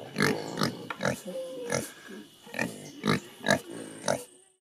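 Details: Short, harsh, broken squeals and grunts from Creole pigs waiting to be fed one morning in rural Haiti, coming in bursts about every half second before fading out.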